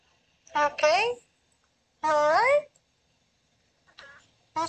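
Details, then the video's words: Daisy, a female Oriental Shorthair cat, talking in her sleep: three short chirping mews with bending, rising-then-falling tones, separated by pauses of about a second, the last cut off at the end. "Cute Cat Talking in Her Sleep"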